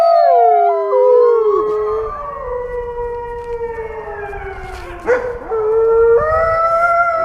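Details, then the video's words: Wolf howls begin high and slide gradually downward over several seconds, a sharp yelp cuts in around the fifth second, then new howls rise again, over a faint low rumble. "WOLF SOUNDS! What is the sound of wolf?"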